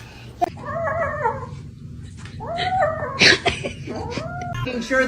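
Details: Domestic cat meowing indoors, several drawn-out nasal meows with bending pitch, each about a second long, over a low background hum and a faint human voice.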